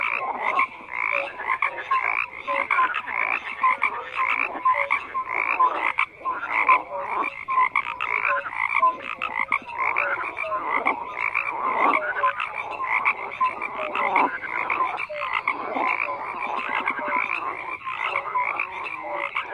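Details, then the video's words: Long stretch of a massed frog chorus, countless rough croaks overlapping with scattered short whistled notes, steady in volume with no other sounds. "FROGS CROAKING"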